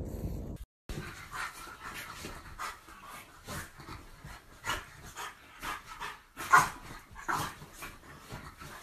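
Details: French Bulldog puppies heard indoors at close range: short breathy snuffles and soft whimpering puffs, coming in quick uneven bursts roughly every half second, with a louder yelp-like burst near the end and a faint background hum.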